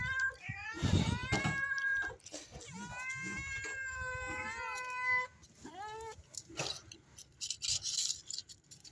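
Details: Stray mother cat begging for food shortly after giving birth to kittens; several loud, drawn-out meows, some rising then falling, with a brief human voice and light background noise.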